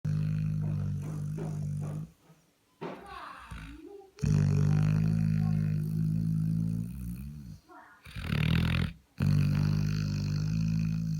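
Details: Sleeping Labrador with a bitten nose snores loudly indoors: deep, rumbling droning snores lasting one to four seconds, broken by short quiet gaps and a softer, wavering raspy breath between them.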